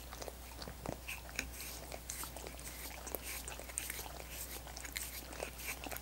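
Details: Dogs working on coconut water popsicles in a quiet room, their licking mixed with crisp crunching bites; sharp clicky transients repeat several times a second over a steady low background hum.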